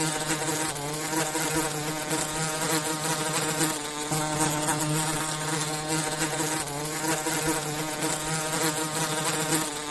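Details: A constant low drone of forest bees at work making honey. The buzzing is thick and layered, with many overtones, and holds an even loudness throughout without pause.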